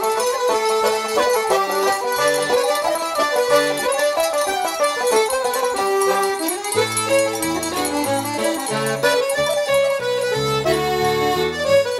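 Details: Lively traditional accordion and fiddle music fills the recording, with no animal sound audible.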